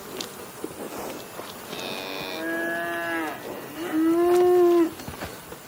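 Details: A cow moos twice close by: a first call that bends downward, then a louder, steady, drawn-out moo with strong harmonics, amid faint clicks.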